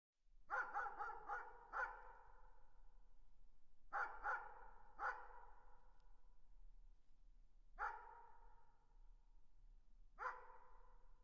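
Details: Dog barking in the distance: quick clusters of four and three sharp barks, then single barks spaced a few seconds apart, each trailing off in a short echo over quiet background.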